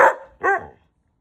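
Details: White husky answering repeated commands to sit, two short gruff barking yelps close together, the second rounder and whinier, followed by quiet.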